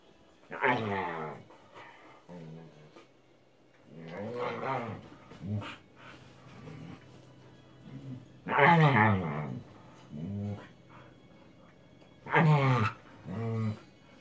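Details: Pet husky at bedtime, one of two in the household, giving drawn-out, moaning vocal bursts with stacked tones. Four main bursts come roughly every four seconds, with quieter grumbles between them and a low indoor hum underneath.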